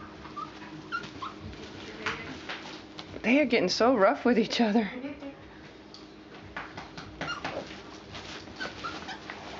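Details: Four-week-old puppies, including Mama Valentine and her brother Hoyt, play on an afternoon in March 2013. A short burst of wavering, whiny yelps rises and falls for about a second and a half. Soft human speech and rustling fill the background.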